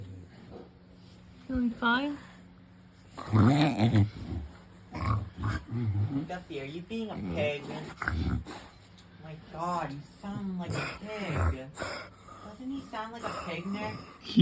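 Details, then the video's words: English Bulldog lying on his back, producing funny pig-like grunts and snorts, low and rough, mixed with wheezy squeaks, while a woman speaks affectionately throughout. "Bulldog Lay On His Back And Makes Funny Noises"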